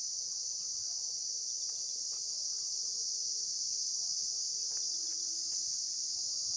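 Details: A dense, continuous high insect drone, sharp and even, runs without pause over the whole recording, with a few faint ticks and short chirps underneath.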